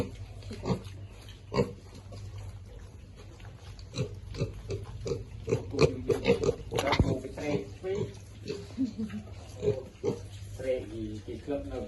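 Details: Feeding piglets give a busy run of short grunts and small squeals that thickens between four and eight seconds, over a steady low hum.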